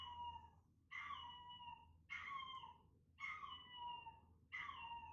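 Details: Chester, a timid male Chihuahua puppy born 13 November 2019, reacts to hearing his own recorded cries. Five sustained, wavering howls with bright overtones slide gently downward, each lasting nearly a second and separated by short gaps. A low background hum runs throughout.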